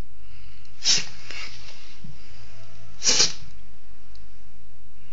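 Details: Indoors, a female pet dog lets out two explosive sneezes about two seconds apart, each a brief hissing burst, with faint snuffling between and a quiet room behind.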